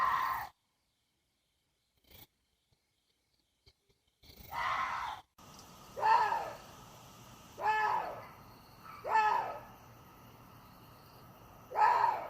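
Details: Water deer giving hoarse, strained screams after a brief silent stretch. Five rough, nasal bursts come roughly every one and a half seconds, each swelling and fading quickly against a quiet outdoor hiss.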